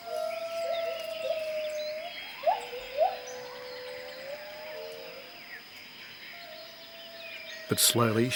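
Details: Gibbon named Jarunee singing to announce territory: clear whistled hoots that slide upward, rising in short swoops and long drawn notes, with a faint hiss behind and a sudden loud burst of noise near the end.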